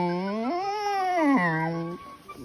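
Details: Primrose, a Phu Quoc ridgeback dog, gives a drawn-out vocal howl that climbs in pitch, holds, then steps down over about two seconds before fading into quiet.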